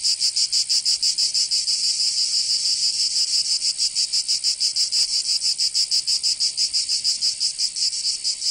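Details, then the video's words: Provençal cicadas in summer, southern France, producing a piercing high-pitched drone that beats in quick regular pulses, roughly three per second, steady and alone. "Canto Cigarra 🦗 [ Escuchar les cigarras en verano 10 H]"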